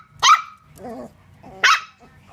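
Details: Dachshund puppies at play, two sharp high barks about a second and a half apart, with a low whining growl between them.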